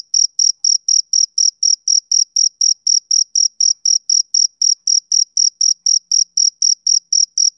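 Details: Male cricket chirping in a steady, even rhythm of about four short, high, pure pulses per second, each with a faint higher overtone; no other sounds.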